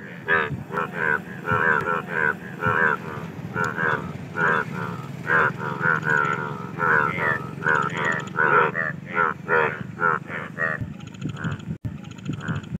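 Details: Indian bullfrogs calling for mating: a dense run of short, throaty pulsed croaks repeated several times a second with overlapping callers, over a steady low rumble.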